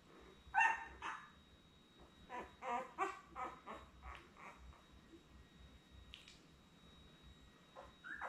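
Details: Newborn Labrador Retriever puppies, born May 24, 2021, with their mother Belle on a live puppy cam, litter of seven; a run of short squeaky whimpers and yelps, some harmonic, clustered in bursts with quiet gaps and a steady background hum.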